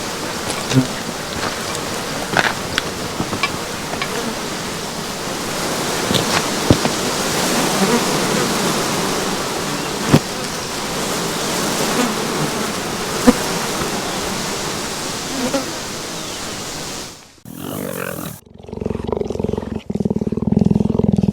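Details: Swarm of tens of thousands of flies, maybe more, at an endangered predator project, a dense continuous hissing drone filling the air with scattered clicks, cut by a brief dropout near the end before the droning returns.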